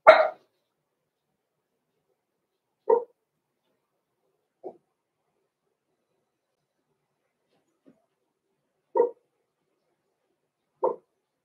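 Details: Blenheim Cavalier King Charles Spaniel puppies Roman and Blue, six weeks old, from a small litter born November 14, 2022, in a puppy pen: a louder opening bark, then five brief yaps spaced irregularly over eleven seconds, quiet in between.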